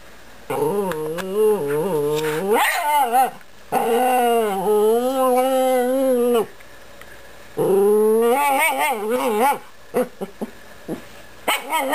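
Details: A female Chihuahua puppy mumbles in long, wavering whines with a few short yips near the end, wanting to play while her brother takes her ball.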